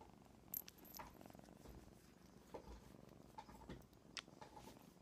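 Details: A male Domestic Shorthair kitten living in a foster home purrs softly and steadily indoors, a quiet low rumbling broken by small clicks, rustles and a light jingle.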